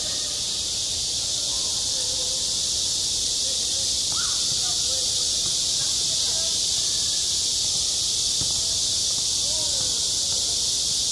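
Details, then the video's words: A continuous, piercing cicada drone fills a school playground in high summer; brief faint calls and voices rise softly below the relentless buzzing. "한 여름 운동장에서 매미가 울고 있다 - 여름의 소리, 학교 종소리, 매미 울음소리"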